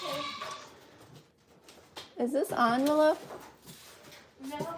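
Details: Goat at The Willful Goat Farm & Home giving a single loud, quavering, wavering bleat of about half a second, preceded and followed by people talking nearby.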